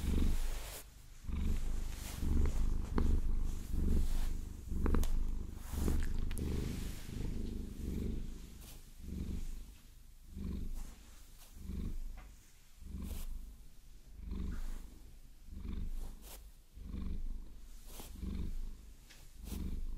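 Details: Maine Coon house cat Vasilisa purring while massaged and scratched with long fingernails, deep rumbling purr swelling and fading in rapid breathing pulses, overlaid by sharp nail tapping and scratching clicks throughout.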